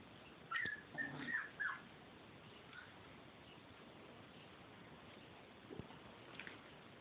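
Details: Siberian Husky pups, 28 days old, giving a few short high whimpers and squeaks early on, then quiet with faint rustling indoors.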